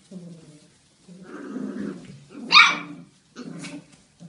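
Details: Playing Belgian Malinois puppies, Rea with her siblings: low growling rumbles build up, then one sharp, loud high-pitched bark, then more short growls indoors.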